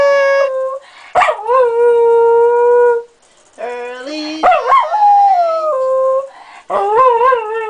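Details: Thunder, a small pet Jack Russell terrier, howls along to people singing and making music; long wavering tonal howls that slide up and down, with sharp pitch bends and short pauses between phrases, mixed with sustained sung tones.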